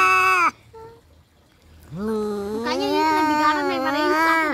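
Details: Domestic cats in a fight: a short falling wail, a quiet pause with a faint mew, then a long rising, quavering yowl that grows louder and harsher.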